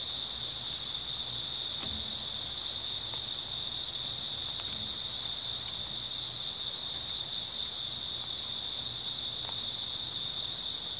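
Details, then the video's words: Grass insects chirring without pause on an early autumn night, a bright sustained high trill, dotted with occasional faint taps and one sharp click near the middle. "초가을 밤부터 새벽까지 백색소음 풀벌레 소리"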